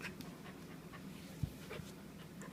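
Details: Three-month-old purebred female German Shepherd puppy, tired after coming back from a walk, panting with soft breathy puffs spaced irregularly over a low steady hum.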